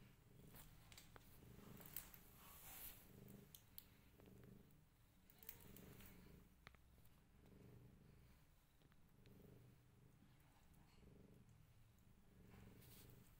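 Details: Mother cat with her five rescued kittens: a soft, low purring rumble that swells and fades in slow cycles every two to three seconds, with faint clicks and rustles in a quiet room.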